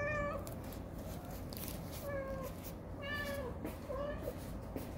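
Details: At a first mealtime together after moving out, indoor cats meow repeatedly: four drawn-out, steady-pitched meows about a second apart, the last ones bending downward, over a constant low room hum.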